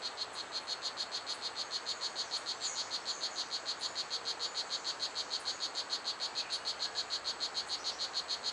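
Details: Blue Jeans, the strawberry poison dart frog, singing in Pierella Ecological Garden. Sharp, high chirps come in an unbroken, very regular series of roughly four per second, with faint higher calls and hiss behind.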